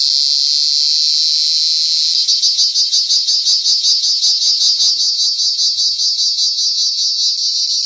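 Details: Cricket calling: a steady high trill that after about two seconds breaks into distinct rapid pulses, roughly three per second, loud and rhythmic to the end.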